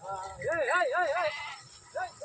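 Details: Sheep being bathed, with a quavering, wavering bleat that rises and falls several times over about a second, then a shorter bleat, while people shout loudly nearby.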